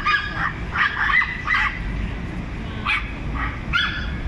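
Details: Small dogs bark in turns at one large dog: a run of four sharp, high yaps followed by two more spaced yaps, over constant low background hum.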